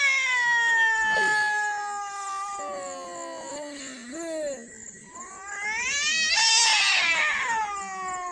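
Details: Two cats, one white and one brown, crying: long drawn-out child-like wails with rich harmonics, dipping and bending in pitch, then a louder rising cry near the end.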